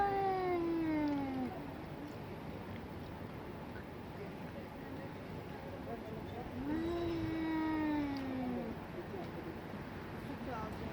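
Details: Fighting cats: a pair of domestic cats squaring off give two long, falling yowls, one at the start and one after a quiet gap of about five seconds, with low rumbling noise underneath.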